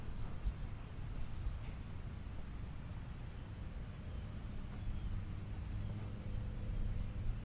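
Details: Steady low rumble like distant traffic or engine noise dominates, with a broad hiss and a faint high steady tone throughout and no animal voice.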